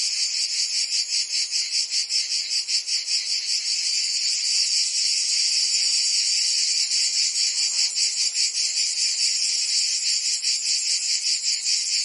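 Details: Chorus of cicadas on a Provence summer day in France: unbroken high-pitched rasping drone, rhythmically throbbing, loudness barely varying.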